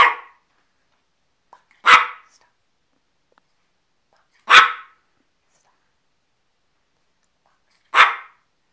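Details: Dog barking on command, four short sharp single barks spaced about two to three seconds apart with silence between them.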